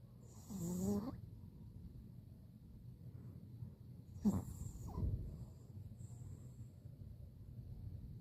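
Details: Bori, a Pomeranian dog, snoring while napping on the eighth day after kneecap surgery: soft, low breathing rumbles with two brief snorting snores, one early and one about midway, in a quiet room.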